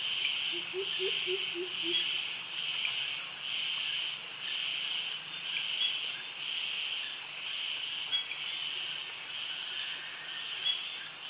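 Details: Jungle insect chorus from Krabi, Thailand, where cicadas and crickets sing among trees by the mangroves; loud high buzz swells in regular beats about once per second above a constant thin whine, a few low chirps near the start.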